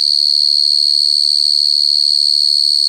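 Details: Pure cricket chorus of one clear singer: an intense, sustained high-pitched trill with quick even pulsing and almost nothing else audible.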